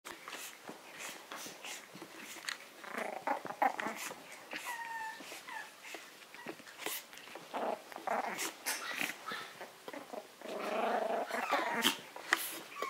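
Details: A Maltese play-fighting with a Yorkshire terrier gives high, short yips and whines mixed with low growls over busy scuffling clicks.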